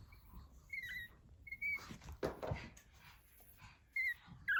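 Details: Fourteen-day-old pug puppies, just starting to walk, give short, thin, high squeaking whimpers between soft shuffling sounds, with their mother nearby recognising and guarding them.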